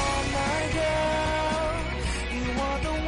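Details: Steady pop-style music with a sung melody and guitar fills the whole stretch, with no animal voice standing out.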